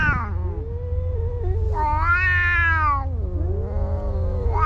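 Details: Two cats in a fight: one long, moaning yowl that slides down, swells into a louder strained wail, then dips and rises again, with a steady low hum underneath.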